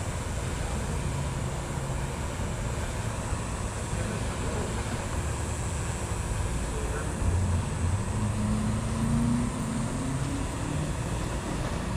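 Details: Continuous vehicle and road noise with a deep rumble and faint background voices, and no animal sounds audible.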